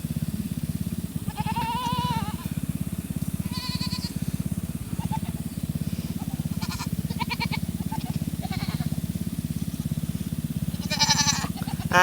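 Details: Farm Nigerian Dwarf does in heat wanting the bucks, giving scattered short and longer quavering bleats at varying distances, with a continuous low droning hum underneath.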